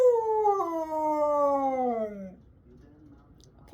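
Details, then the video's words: Siberian Husky screaming on a Sunday morning, a single long mournful note sliding steadily downward for about two seconds, with a small step partway through, followed by quiet. "Why do we have to scream on Sunday mornings"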